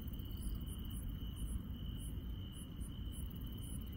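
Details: A countryside night chorus of insects, with a continuous high-pitched trill holding one even tone and separate sharp, very high chirps coming in quick groups, all above a constant low-pitched rumble.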